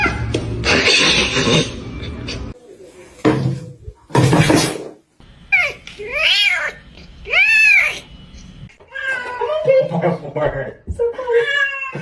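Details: Domestic cat indoors gives two drawn-out, arching meows that rise then fall, one just after the other, amid bursts of human speech, laughter and rustling, with a few shorter higher mews near the end.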